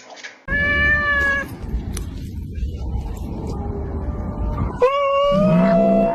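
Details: Domestic cats fighting: two drawn-out, strongly harmonic yowls, the first held about a second and slightly wavering, the second rising then sustained to the end, over a steady low rumbling background.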